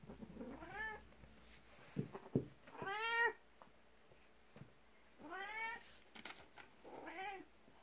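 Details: Indoors in the morning, a jealous 12-year-old black cat pushes in at a person's feet, rubbing the legs and crying for attention beside a 19-year-old cat; four insistent, bending meows about two seconds apart, with light knocks and shuffling.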